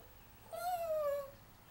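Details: Smokey, a pet Yorkshire Terrier, howling for his owner indoors. A single thin, slightly wavering howl lasts under a second and slides gently downward at the end. The small room is otherwise quiet.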